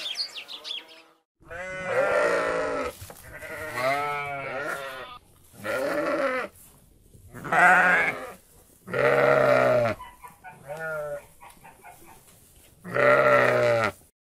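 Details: Sheep (Ovis aries), bleat.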